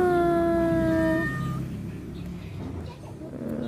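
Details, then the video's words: Cat said to be waiting for its mate, giving one long, steady, drawn-out meow lasting about a second, followed by low rumbling background noise. "Kucing menunggu pacarnya"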